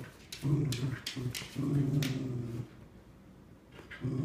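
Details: Two Cardigan Welsh Corgis, Scout aged 3 1/4 years and Obi nearly 9 months, playing tug-of-war over a new toy; rumbling low growls in bursts, broken by brief pauses, with scuffling and toy noises.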